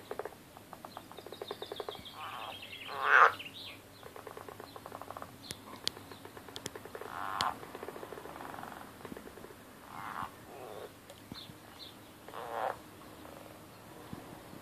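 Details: Frogs fighting angrily give quick rattling pulse trains and harsher buzzy bursts, one loud outburst early on, then scattered shorter rasps and clicks at uneven intervals above a faint constant hum.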